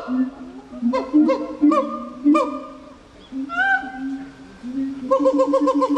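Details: Gibbon calling: steady low hooting tones broken by short, sharp rising notes, a brief pause, then a swooping whoop and a fast run of bright repeated notes at the end.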